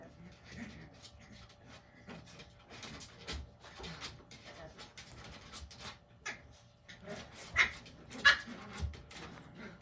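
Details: Cavalier King Charles Spaniel puppy named Orto, 43 days old, indoors; soft rustling and shuffling give way to two short, high-pitched thin whimpers near the end, with faint human voices in the background.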